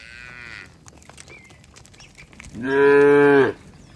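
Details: A tame cow in a herd heading home to the village pen gives a loud, drawn-out moo lasting about a second, calling to companions that arrived earlier.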